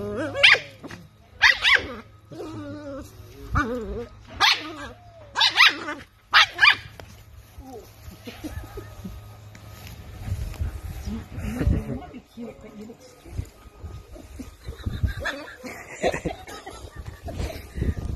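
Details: Mika, a Toy Poodle, turning from beautifully behaved to fierce: a burst of sharp, high barks in the first seven seconds, roughly one per second, followed by scuffling, movement and human voices urging her on.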